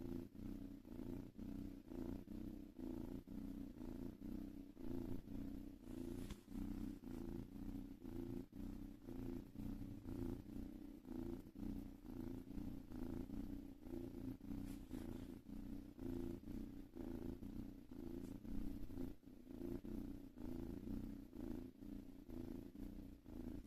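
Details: Cat purring steadily and continuously for over twenty seconds, a low rhythmic rumble pulsing several times a second, with faint background hiss.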